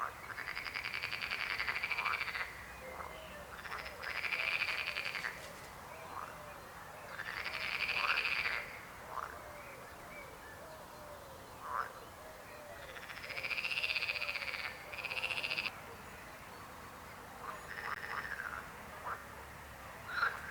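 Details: Croaking frogs: a run of rattling, pulsed calls about a second or two long, coming every few seconds, with fainter short croaks from other frogs in between.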